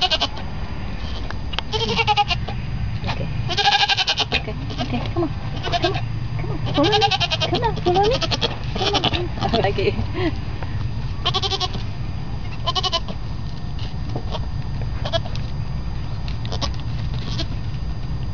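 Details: Newborn baby goats bleating in scattered short, shaky, nasal cries, clustered in the first half, mixed with a woman's frequent chatter and handling noises over a constant low hum.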